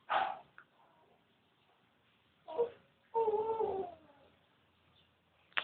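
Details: Litter of thirteen newborn Labrador Retriever puppies, a few wavering whining cries with long pauses between, one drawn-out moaning whimper near the middle, quiet room.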